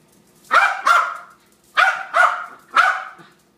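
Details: Harry, a pet dog, barks excitedly in pairs: two sharp barks, a pause, then three more, each bark strong and ringing against near silence.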